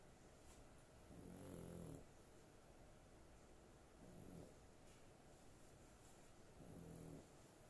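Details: Sleeping female pet dog snores in a slow, steady rhythm, three low, buzzy harmonic breaths roughly every two and a half seconds, with soft background hiss and faint high ticks.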